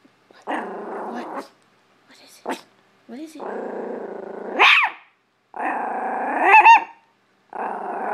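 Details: Chihuahua indoors in a living room, reacting to a hamper of clothes with sustained buzzy growls that end in a sudden high yelping bark, three growling bouts in eight seconds.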